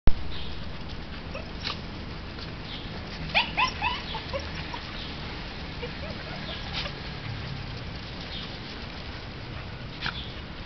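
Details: Dogs in an empty park spotting a squirrel up in a tree right after getting out of a car; a short cluster of sharp barks and whimpers around the middle, over steady low outdoor rumble.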